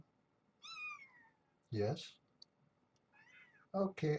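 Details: Kittens with their mother Janine, a brown tabby stray found in the Tulalip, Washington area, caged at Purrfect Pals: one high, clearly harmonic meow slides downward, then human speech and a soft, rising mew, with more talking closing the moment.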